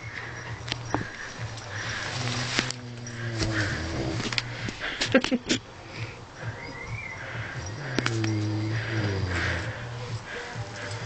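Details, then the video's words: Harvey the Vietnamese pot-bellied pig snoring while asleep, with long low rumbling breaths around two and eight seconds, interrupted in the middle by scattered clicks and rustling. "Harvey Pig - sleeping and snoring - Vietnamese Pot bellied pig"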